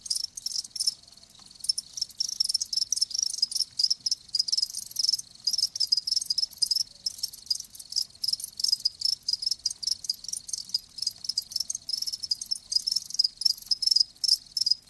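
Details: Chorus of live crickets, shrill pulsing chirps layered thickly and continuously, some bursts louder than others, nothing else audible.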